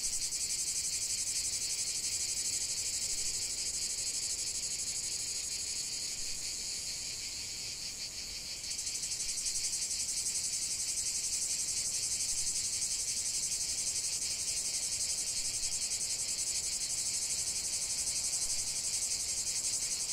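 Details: Cicada chorus recorded in nature for relaxation: an intense high, sizzling buzz that briefly softens and shifts in tone around the middle, then resumes fuller and constant until the end.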